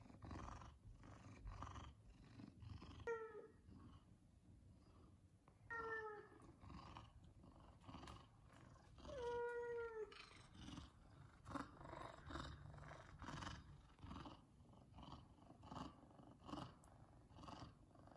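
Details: F2 Savannah cats asking for chicken at feeding time give three short, bent meows spaced a few seconds apart over a steady rumbling, noisy indoor background with rustling and clatter.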